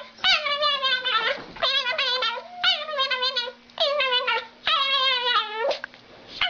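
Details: Dog giving an unusual, creepy-sounding bark: five drawn-out, tremulous, high-pitched cries, each lasting under a second, with a rapid warbling quaver and short pauses between them, indoors with a faint steady hum.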